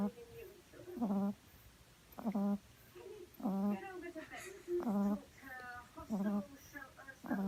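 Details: A French Bulldog puppy on her second day home, sleeping on her back, snores in a steady rhythm, each breath a low, buzzy rasp.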